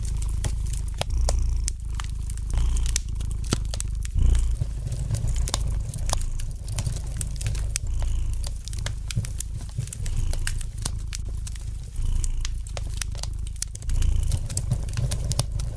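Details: Domestic cat gently purring by a fireplace: a steady low rumbling purr with slowly swelling loudness, overlaid by sharp, scattered crackles and pops from the burning fire.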